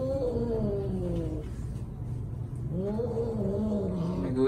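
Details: A dying mother cat rescued from a cat meat shop in Vietnam gives two long, drawn-out meows that waver and slowly fall in pitch, separated by a pause, over a low background hum.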